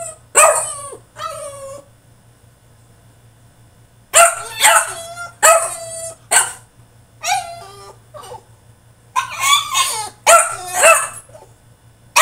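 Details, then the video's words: A tantrum from a French Bulldog shut in his cage, a run of loud, rapid, squealing barks and yelps, two early, then a dense string of about eight after a short pause. "FRENCH BULLDOG THROWS TANTRUM IN HIS CAGE!!"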